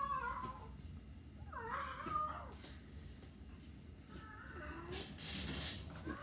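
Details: Domestic cat making a few wavering, strained meows, faint and partly masked by rustling and bursts of hiss-like noise.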